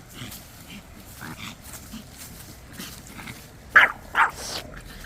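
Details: Dongbaek, a Pomeranian, tired after playing alone and taken for a walk by the water, gives two short, sharp barks about half a second apart near the end, after quiet stretches with faint voices.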